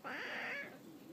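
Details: A domestic cat complaining and talking back because it refuses to go upstairs: one drawn-out, strained meow about half a second long, steady then slightly rising, with a person's brief commands just before and after.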